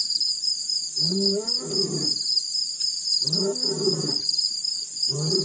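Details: Deep, groaning roars from a male lion at Pete's Pond in Botswana's Mashatu Game Reserve, December 2016, after a dirt roll: rich harmonic bursts rising then falling, repeated roughly every two seconds, over a shrill, steady insect chorus.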